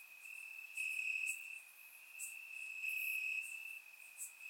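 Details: Crickets in grassland on a warm Bulgarian summer night keep up a continuous shrill trill that grows louder in two pulses, while faint high ticking from other insects sits above it.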